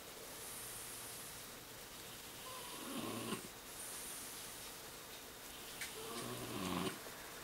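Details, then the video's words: French Bulldog snoring while lying face down, before and after soft palate and nasal surgery. Two soft, rasping snores about three seconds apart stand out over a steady hiss of background noise. "French Bulldog いびき"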